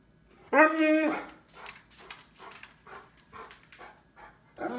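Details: Cane Corso named Lord Loki, looking for its toy, gives one loud, drawn-out tonal vocalization lasting about half a second at steady pitch. Quieter human talk and soft room sounds follow.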